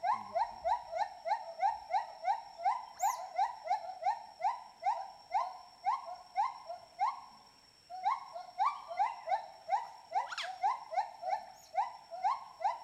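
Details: Playful group of wild smooth-coated otters in a river in Borneo, eating fish for dinner; short rising squeaky chirps repeated about twice a second in a steady series, with a brief pause midway and a few splashy noises.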